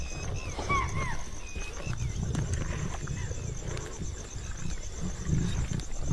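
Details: A pride of Asiatic lions (Panthera leo persica) in India, crowded together feeding on a spotted deer kill, growl low and rumbling, with a narrator speaking over them.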